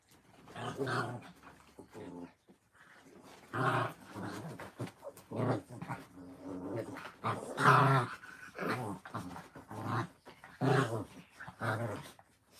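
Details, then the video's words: Puppies at play indoors, growling in harmonic bursts of about a second, separated by short pauses and building to a louder snarl near the middle, with faint human speech in the background. "Puppy playtime"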